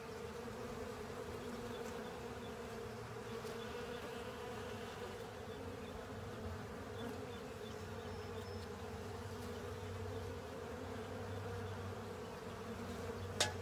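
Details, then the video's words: A crowd of honey bees and other insects works over a honey filter in an unbroken low hum of wingbeats. A deeper drone joins midway, and a single sharp click sounds at the very end. "Honey Bees & Pals Cleaning Up A Honey Filter"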